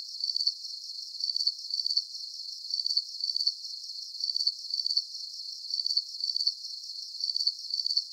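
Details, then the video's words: Crickets chirping steadily at night: high, thin pulsed trills in short bursts about twice a second, each burst a quick run of ticking pulses, with no low sounds and no other animals or noise. "Calming Cricket Sounds"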